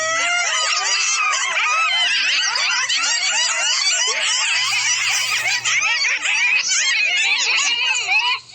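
Coyotes yip, yelp and howl together in a dense, wavering chorus of high, sliding cries.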